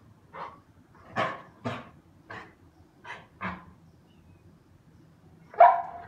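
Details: English Pointer barking: a series of short, sharp barks roughly every half second, then a louder, longer yelp-like bark near the end, with quiet pauses between.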